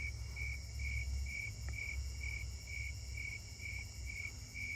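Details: On a July 25 night walk through a neighbourhood, snowy tree crickets close by give steady, evenly spaced mellow chirps, about two each second, over a low background rumble.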